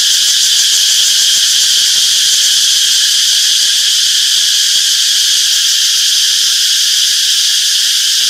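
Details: Many cicadas chirping in a summer forest, producing a constant piercing buzz with a faint shimmering pulse, level and unbroken from start to end, nothing else audible.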